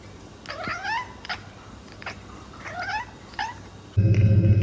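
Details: Pet cat making short, chirping mews, about four quick upward-swooping calls spread over four seconds on a low background rumble, ending in a sudden burst of loud noise.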